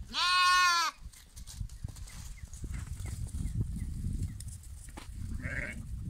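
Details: A single loud, quavering lamb bleat lasting nearly a second, followed by quieter low rumbling noise and a faint, distant second bleat near the end.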